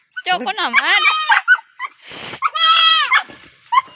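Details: Baby goat uttering a wavering bleat that swoops down and up, a brief breathy rustle, then a clear, steady, high bleat and a few faint short cries.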